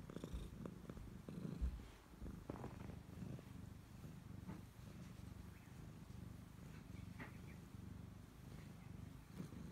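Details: Low, continuous purring from a Siamese cat that stays close to its owner, a deep rumbling drone with gentle rhythmic pulsing and occasional faint rustles.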